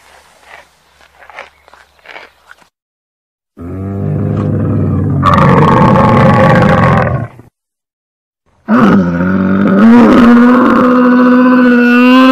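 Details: Camel making a few soft, faint grunts, then two long, loud, gurgling bellows, the second carrying a steady, slightly rising moaning tone over a rough growl.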